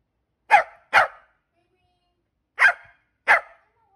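A Pembroke Welsh Corgi gives four sharp, mid-pitched barks, a quick pair, then two more after a pause.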